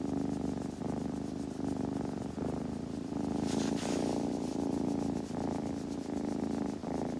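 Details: Kitten purring steadily, a continuous low rumbling drone broken by brief pauses for breath about every second or two, with a soft rustle partway through.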